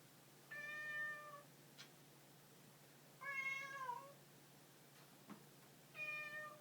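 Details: House cat meowing three times in roughly even succession, bright harmonic calls of about a second each, the second bending downward at its end, with faint clicks between calls.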